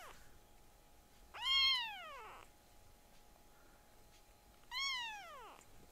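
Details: Loud cries from tiny rescued foster kittens kept indoors: two long, arching meows about three seconds apart, each swelling then sliding downward, with a quiet hum between them.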